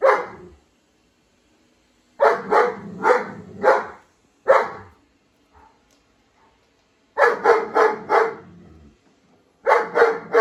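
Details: German Shepherd meeting a robot vacuum indoors, giving rapid volleys of three to four sharp barks, separated by silent gaps of one to three seconds.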